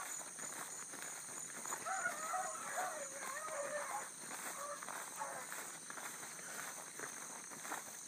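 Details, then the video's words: Bluetick Coonhounds, a pack with a new pup, running a big rabbit hard early on a July morning in 2012. Distant drawn-out bawling bays overlap in the middle of the clip, above a steady high insect drone. "THE BLUE'S ON A BIG RUNNING RABBIT"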